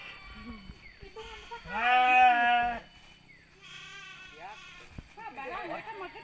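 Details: Sheep at mating time in Sirna Rasa village: one strong, sustained bleat lasting about a second, set among quieter human talking before and after.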